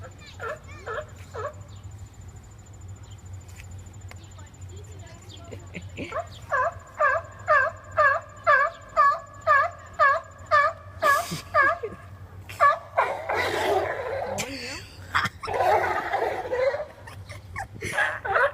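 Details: Seals arguing with each other, making weird noises: a run of short, moaning, harmonic calls repeated about twice a second, then louder, rougher, drawn-out cries, with people talking nearby.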